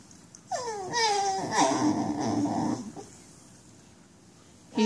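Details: Basenji with nerve root damage crying out in pain while walking: a falling, tonal wail with clear harmonics lasting about two seconds, then a brief rising yelp at the end, over a quiet background.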